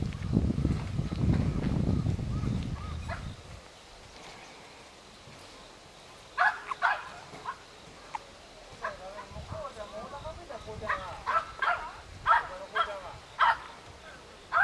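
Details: Apricot male Toy Poodle puppy aged 54 days, weighing around 490 g, at a Nara breeder in Japan: a low rumbling noise first, then a run of thin wavering whimpers and squeaks repeated over the last eight seconds.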